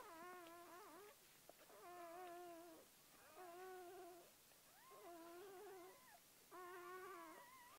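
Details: Newborn Gordon Setter, puppy seven from four-year-old Clea's litter of nine on October 23, 2014, crying in steady, evenly spaced harmonic wails about a second long, slightly bending in pitch, with quiet room background.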